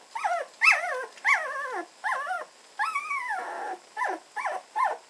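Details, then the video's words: Red standard poodle puppies at 18 days old, starting to play: a series of loud, wavering, high whines and squeals, each bending up then sliding down, about eight in five seconds with brief gaps. "Red standard poodle puppies at 18 days playing"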